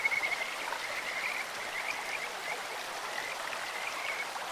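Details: Kajika frogs in a clear mountain stream. A bright whistled trill opens the clip, then softer high chirps repeat against a steady broadband wash of flowing water.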